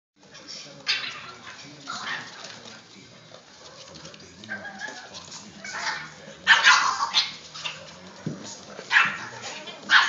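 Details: Boston Terrier puppies playing inside a tent give short, high yips and scratchy little barks in uneven bursts.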